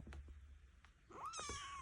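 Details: Noisy, ornery foster kitten, a domestic cat, indoors: after soft clicks and rustling, a loud harmonic meow rises then holds level and slowly falls, lasting under a second.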